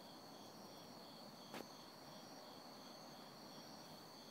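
An autumn cricket chirps steadily in a high, ringing tone, with one sharp click partway through.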